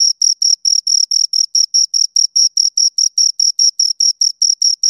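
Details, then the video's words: Two crickets chirping: a steady, high-pitched pulsed trill of short, even chirps, roughly four to five per second, with a faint higher overtone above each pulse. The recording is clean, with no other sounds. "Two Crickets Chirp Sounds"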